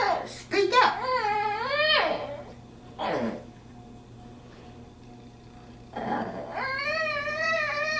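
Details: Female dog Bandit, indoors at a friend's place, makes human-sounding noises because she wants to go home: a wavering, up-and-down moaning whine, a sharp breathy burst, a pause, then a longer quavering whine.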